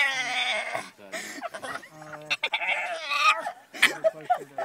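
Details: A female Boston Terrier whines in drawn-out, wavering, nasal cries, upset because she can't have her frisbee.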